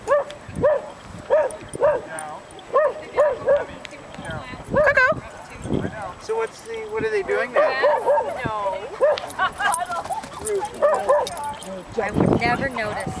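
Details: Chow Chow dog at a park, barking in a steady series of short harmonic barks roughly every half second, then breaking into irregular yips and whines, with people talking nearby.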